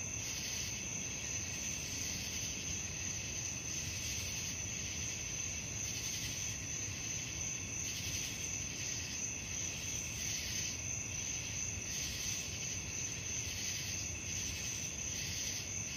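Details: Nocturnal cricket chorus: an unbroken piercing tone plus mid-high pulsed chirping that swells and fades in regular beats, with a steady low-frequency rumble running throughout.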